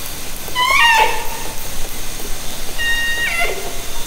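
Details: Orcas recorded underwater by hydrophone from a kayak in Haro Strait, summer 2010: two harmonic calls with stacked overtones, the first bending downward near one second, the second a level tone ending in a drop, over steady underwater hiss.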